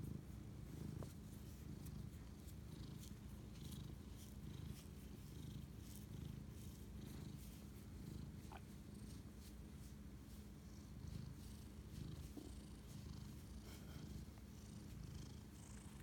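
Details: Indoor cat bonding with its owner at 11:07 pm, March 25, 2019, purring steadily in a low rumbling drone with breath-paced swells, plus light scratchy rustles and a few faint clicks.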